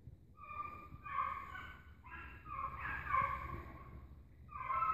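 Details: Pack of hunting dogs running after an agouti, giving drawn-out, tonal, wavering bays that rise and fall, several voices overlapping over a low rumbling background.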